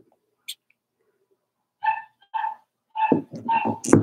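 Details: In their pen, Daisy's Cavalier King Charles Spaniel pups, four weeks old, let out two clear whiny yips, then more tonal cries that run together with a human voice and rustling near the end.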